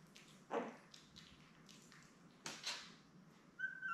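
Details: Newborn Labrador Retriever puppies with their mother Belle, a litter of seven born May 24, 2021, filmed indoors on a puppy cam; brief squeaky whimpers rise and fall over low room noise, with a thin high whine at the end.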